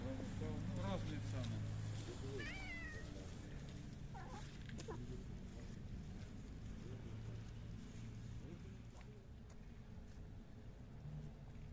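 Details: Hungry homeless cats, a tabby, calico, dilute calico, black and blue cat, found at night and served homemade food. A short rising-then-falling mew stands out after low human speech, over a steady background hum.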